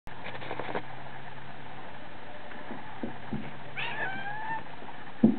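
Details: A hungry pet cat asking for food gives one rising then falling meow near the middle, with faint taps and clicks, a low steady hum and a sharp knock at the end.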